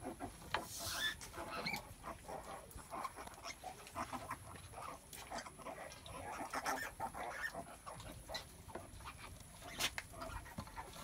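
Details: Mother pig, a sow, giving birth on a farm: short scattered snorts and rustling bursts with faint higher squeaks, over a steady background hiss and a thin high electrical whine.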